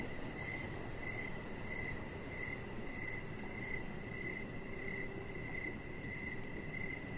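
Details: Crickets chirping outside in the evening near a deck, even repeated chirps a little over one per second alongside a continuous high ringing trill, with soft broadband background noise.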